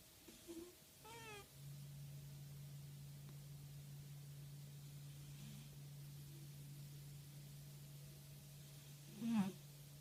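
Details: Domestic cat snoring indoors: a steady low droning hum held almost continuously for about nine seconds, with a short harmonic chirp near the start and a brief louder snort near the end.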